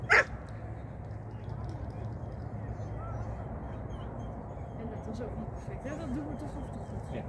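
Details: Shetland Sheepdog Sian, 2023, at a first training lesson, lets out one sharp, short bark right at the start, then only a steady low background rumble and faint murmur follow.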